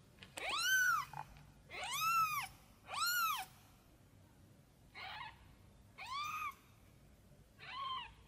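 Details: Tiny kitten crying out and looking for its mother cat: six arched, harmonic meows about one second apart, the first three strong and drawn out, the later ones shorter and softer, against a quiet background.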